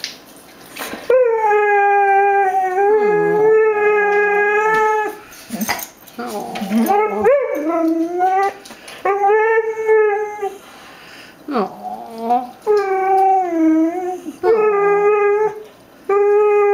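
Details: Mango, a female Xoloitzcuintli (Mexican hairless dog), howls for her dinner, wanting chicken: long sustained tonal howls with rich harmonics, some wavering and sliding, in repeated bouts separated by short pauses, with a woman's voice between.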